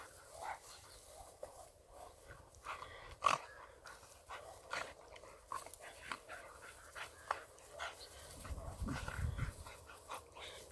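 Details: Staffordshire Terrier pup, high-energy and persistent in play, exploring with another dog outdoors at the western pedestrian entrance to Melville Koppies East; soft irregular panting and snuffling bursts, one sharp loud click, and a low rumbling noise near the end.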